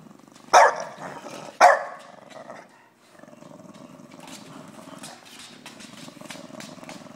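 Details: A 3-year-old female English Bulldog gives two sharp, gruff woofs, then settles into a low, rumbling grumble, protesting at being filmed.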